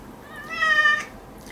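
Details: Pet cat protesting during a claw trim at home, one of fourteen cats: a single clear, tonal meow of about half a second, slightly rising then falling, with a person talking softly around it.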